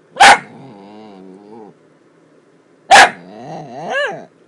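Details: Weird noises from a miniature dachshund: a sharp bark followed by a long, wavering whine, then a second bark that slides into rising and falling yodel-like moans.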